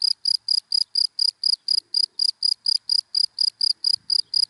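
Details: Cricket in dry daytime grass producing bright, shrill pulsed chirps at a steady rate near four per second, nearly alone against a quiet background with a faint low knock near the end.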